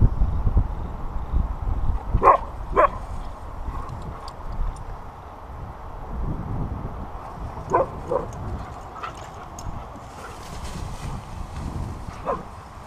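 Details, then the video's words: Playful husky Delta out in the sun, letting out brief yelping calls in pairs, two early, two more later, with a few softer yips between and low rumbling noise underneath. "Delta the singing husky"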